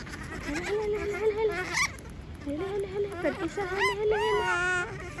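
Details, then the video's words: Monkey screaming because it does not want to be left alone: a series of drawn-out, wavering, tonal wails, rising into sharper shrieks toward the end, with short gaps between calls. "Sound of monkey scream doesnt want to be alone, suara monyet teriak tidak mau di tinggal sendirian"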